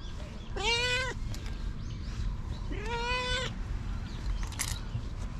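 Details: Two long, clear meows from stray cats recorded with a GoPro, each rising slightly and then holding steady, separated by a pause of about two seconds, with a faint outdoor rumble beneath.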